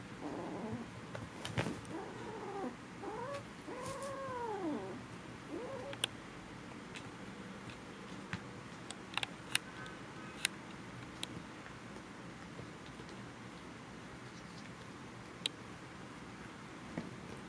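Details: Kittens wrestling indoors give a run of arching, wavering mews in the first five seconds, then mostly quiet with faint clicks and scuffs.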